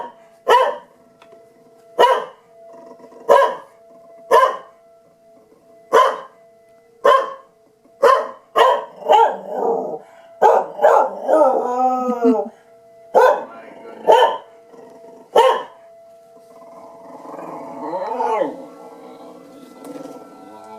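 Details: Tucker the dog barks and howls during siren testing: a steady run of sharp barks about a second apart, rising wavering howls around the middle, more barks, then a long, falling, moaning howl near the end.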